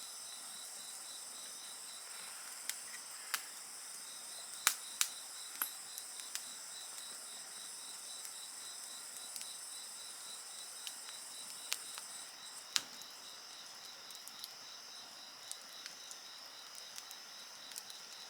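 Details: Several insects sing together beside a crackling bonfire: steady high shrill bands with a pulsed trill near the middle, while sharp wood pops and snaps break in every few seconds.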